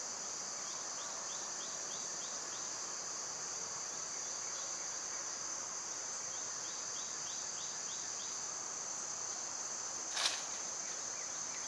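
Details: High, even whirring of cicadas in the summer heat runs throughout, layered with faint rapid chirp series in two bouts and a single sharp click near the ten-second mark.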